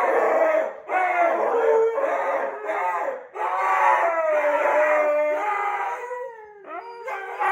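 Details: Two Siberian huskies howl in reaction to wolf howls playing on the TV, long wavering sliding tones with several voices overlapping and short breaks between phrases.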